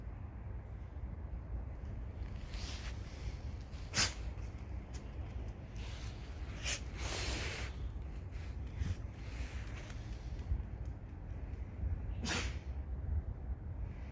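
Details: Chobi, a rescue dog taken in from an animal welfare centre, sneezing in everyday life at home: several short, sharp, breathy bursts, at about four, seven and twelve seconds, over a steady low background rumble.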